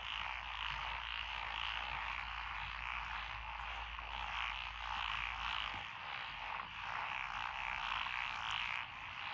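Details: Rural lotus paddy chorus in Echizen, Fukui Prefecture, Japan, June 12, 2021: tree frogs, pond frogs and wrinkled frogs croak without pause, forming a continuous buzzing wall of calls that rises and falls gently, with a faint low rumble underneath.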